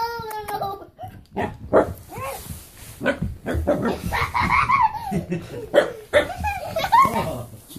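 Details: Siberian husky puppies playing: a high, drawn-out whine, then short yips and growly bursts while people talk and laugh.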